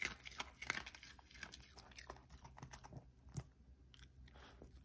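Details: Cookie, a Pomeranian, crunching food indoors: loud crisp bites at the start, then softer irregular chewing and a few scattered snaps fading toward the end.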